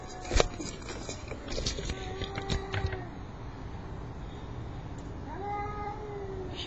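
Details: At night, male domestic cats drawn to a female in heat give long, low, drawn-out yowls, unlike a normal meow.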